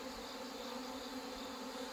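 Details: Honey bees being united after hornet losses and mating failure; a short burst of thick, unchanging buzzing from many insects, steady bands of tone throughout.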